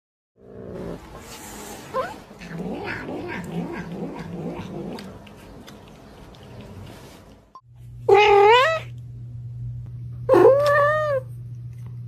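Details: Cat from a compilation of baby cats: several seconds of muddled background noise and voices, then two clear, rising-falling meows about two seconds apart over a steady low hum.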